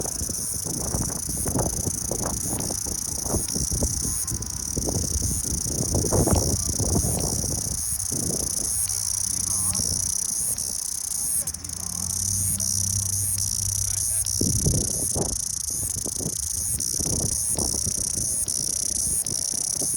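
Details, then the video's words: Cicada chorus, a continuous high shrill buzz holding steady for the whole stretch, with faint low rumbles and brief low tonal sounds partway through. "蝉鸣 Cicada"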